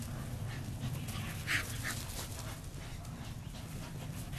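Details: Pet dog, one of three, chasing a newly made flirt pole; rapid airy pants about three per second, soft and irregular, with steady low-frequency outdoor noise underneath.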